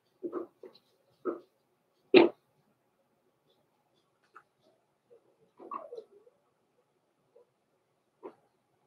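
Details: Blenheim Cavalier King Charles Spaniel puppies Roman and Blue, born November 14, 2022, from a small litter, in an indoor puppy pen at Christmas; short yips and whimpers, one loud sharp yelp near two seconds, then scattered quieter squeaks.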